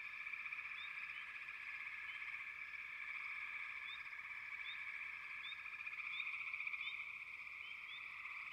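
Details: Many frogs trill together in a constant high-pitched wall of sound. Quick rising chirps break through irregularly, and the chorus swells slightly near the end.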